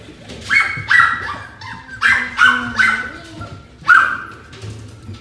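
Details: Maltese twin sister puppies, born 5 September and kept at a shop, give high, squeaky whines and yelps in short bursts, about one every second or two.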